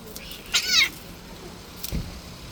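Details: Stray street cat, described as playing too rough and injuring a hand, gives one short meow with stacked arching harmonics, followed by a faint low thump and light outdoor background noise.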